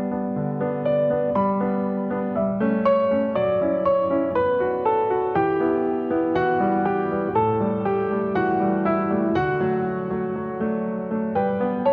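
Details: Steady piano music with rolling repeated chords and melody runs throughout, with no animal voice.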